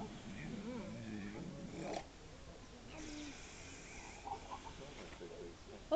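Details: A very vocal seal at Mablethorpe seal sanctuary gives low, wavering moans and grunts while people talk nearby; visitors wonder if it is choking or dreaming, and it has froth in its mouth.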